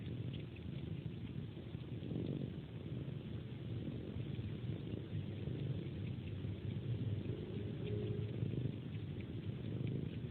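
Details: Domestic cat purring while suckling a hand before sleep; a continuous low, even rumble with soft slurping suck noises mixed in, recorded close and quietly indoors with no other sounds.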